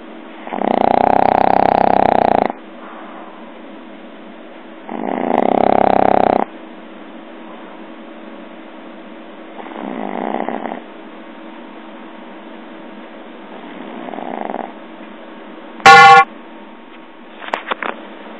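A pug snores heavily, with long raspy inhalations that come every few seconds and fade into softer breathing. A brief sharp squeak and a few clicks sound near the end.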